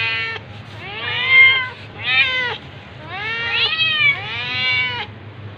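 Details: Meowing while a tabby cat attacks a ginger cat: four or five strained, bending meows, some clipped short and some overlapping, with louder peaks mid-sequence over a low background hum.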